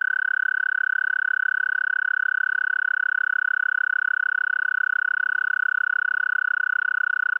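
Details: A male American toad gives its long, steady musical mating trill, a high sweet buzz held without a break.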